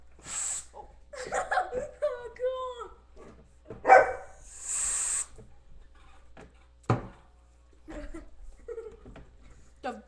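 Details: Alaskan Malamute dog 'talking': a short run of warbling, woo-like calls with bending, rising and falling pitch in the first few seconds, then people speaking, a sharp thump and further voices indoors.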